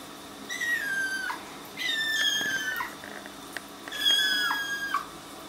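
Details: Kittens in their first week at home, placed in a bathtub they dislike, give about five high, thin meows, each gliding downward and ending in a sharp drop, two pairs overlapping as several kittens call at once in a small echoing room.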